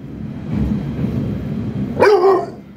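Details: French Bulldog barking back while arguing with its owner: a low rumbling background, then a single loud, harmonic bark near the end with a slightly falling tone.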